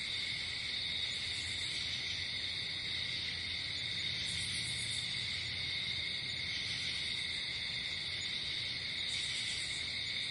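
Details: Crickets calling at night in nature, an even wall of high trills, with short very high buzzy bursts standing out around four seconds in and again near nine seconds.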